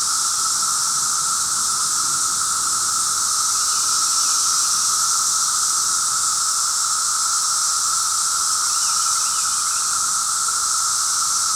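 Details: Cicadas on the fifth day of heavy cicada noise fill the air with a steady, hissing, high-pitched drone that never lets up and hurts the ears after a while.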